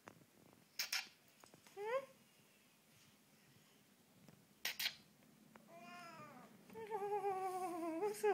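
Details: Siamese and Havana cats begging for food at feeding time indoors: short rising meows, then a longer wavering, insistent meow near the end, with a person's voice and soft clicks between.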